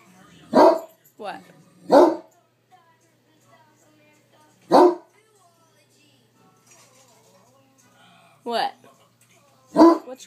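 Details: Indoor pet Great Dane reacting to a film with loud single barks spaced one to three seconds apart, a quieter film soundtrack and faint speech between them.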